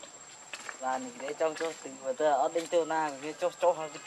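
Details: Baby monkey named Leo, hungry and crying to beg its mother for milk: wavering, harmonic whimpers that rise and fall in quick bursts, some quavering, with a steady high electronic whine behind.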